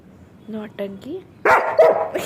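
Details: Pet German Shepherd Sheru gives two short whimpers and a rising whine, then a loud harsh bark burst, during playful interaction with a person speaking Gujarati.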